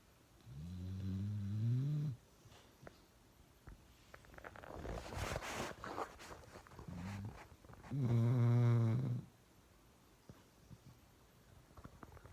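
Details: Uno the dog snoring loudly indoors: a low rumbling snore, then a burst of hissing noise, then a louder, longer, rattling snore with rich harmonics.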